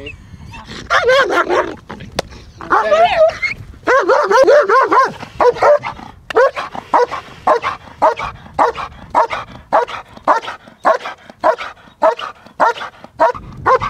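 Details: Female German Shepherd in IPO protection training, black and red; barking mixed with a handler's voice early on, followed by a long run of sharp barks at a quick, uneven pace.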